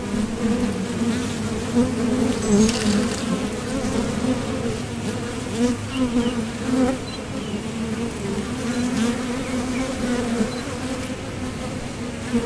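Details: Steady drone of many honeybees at the entrance of a Top Bar Hive, foragers taking off and landing; a sustained low hum with a higher overtone and small swells as individual bees pass nearby.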